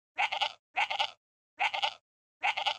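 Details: Goat. A kid goat bleats four times, each call a bright, nasal, trembling cry lasting under half a second. The bleats come in a quick, slightly uneven series with brief silences between them.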